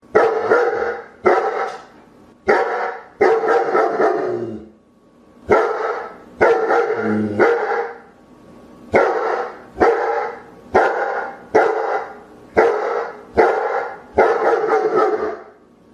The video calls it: som latidos de pastor alemão - sound of barking German Shepherd